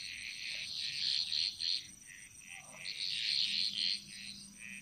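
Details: Chorus of frogs echoing through a Bali jungle, heard as bursts of high, rattling trills that pulse in clusters with brief dips between them, over a faint low hum.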